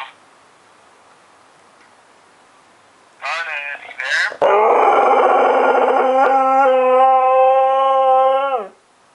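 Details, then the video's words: ['A female husky hears her owner, deployed in Afghanistan, over the phone and howls out of missing him. A short burst of broken, yelping whines leads into a sustained, even, harmonic howl of about four seconds that drops at the end. Quiet room noise runs beforehand.'] "Our husky Scarlet's sad howl for daddy"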